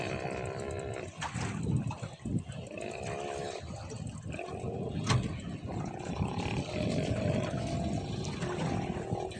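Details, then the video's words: Many large sea lions on an island near Nanaimo, British Columbia, Canada, making a loud pig-like noise: rough, droning groans in drawn-out bursts of one to two seconds, repeated several times, with people talking nearby. "Ang ingay nila parang baboy."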